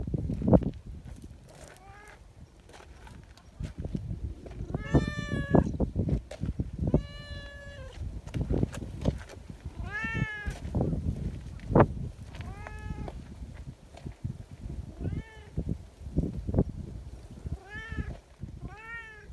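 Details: Friendly community cats gathering outdoors, meowing as they greet and want to be petted together; many short harmonic meows, some rising then falling, repeated by several cats every second or two over rustling and handling noise.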